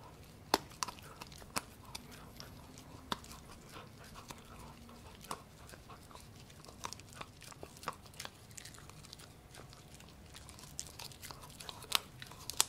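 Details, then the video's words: Gureum, a Pomsky (Husky and Pomeranian cross) born 7 December 2018, eating pork indoors: sharp irregular clicks and crunches of chewing scattered through the clip, quiet room background. "맛있는 돼지고기 먹방"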